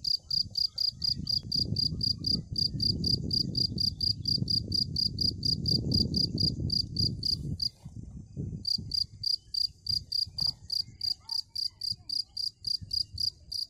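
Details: A cricket chirps steadily: short bright pulses repeated about three or four times a second, pausing briefly near the middle, over a low rumbling background.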